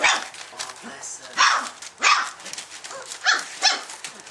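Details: Golden Retriever puppy, a four-week-old female with her brothers, calling out in short high yelping barks, about five bursts over four seconds, with soft rustling between.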